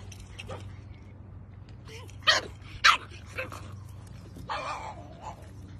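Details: A Pug barks twice in quick succession, loud and abrupt, then gives softer yips and a short raspy vocalisation, with a constant low background hum throughout.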